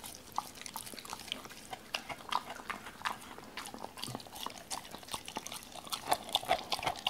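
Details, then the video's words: Doberman named Cola eating raw chicken for the first time, indoors, given pieces torn by hand after being wary of the whole bird; irregular wet crunching and clicking bites, several per second, with soft smacking between. "도베르만 생닭 먹방 ASMR"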